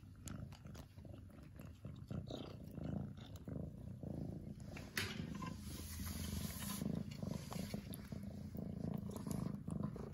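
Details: Lily the domestic cat purring in a heavy, rumbling drone that grows stronger in the second half, with rhythmic breath pulses and some rustling and scratching in the background.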